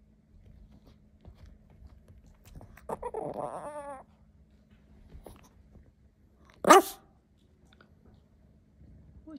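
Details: Teacup Yorkshire Terrier indoors trying to get his toy onto the couch: a drawn-out wavering whine, then after a pause one short sharp bark, with quiet room noise around.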